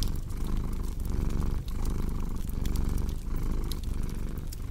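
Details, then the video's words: Low rhythmic purring of a cat, cycling in and out about once a second, blended with the crackling and popping of a fireplace fire. "Purring Cat with Cozy Crackling Fireplace Sound"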